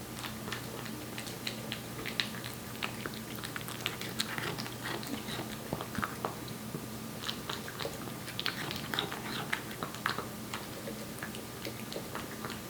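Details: Korean Shorthair cat Aebbi, one year old, eats wet cat food at home, giving rapid moist clicks and smacks that come in dense clusters, with a constant low hum beneath.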